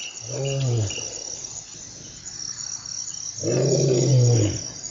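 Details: Lion roaring in the African bushveld: two deep, drawn-out moaning groans about three seconds apart, low and resonant, with insects trilling continuously behind.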